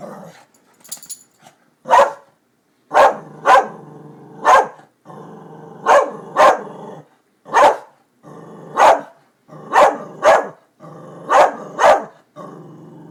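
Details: Dog named Darby barking excitedly at construction workers by new buildings: about fourteen sharp barks, often in quick doublets, spread across thirteen seconds over a constant low background hum.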